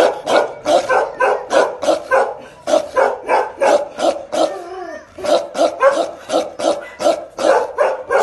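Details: Pair of Bakarwal dogs, protective guard dogs, barking aggressively: rapid deep barks about three per second in a steady volley, with a brief gap near the middle before the barking resumes.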